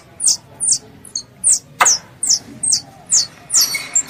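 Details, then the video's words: Shrill squirrel calls to its mother: a short series of high, falling squeaks about every half second, with one sharp click midway and a rougher, noisier note at the end. "THE SOUND OF A SQUIRREL CALLING ITS MOTHER"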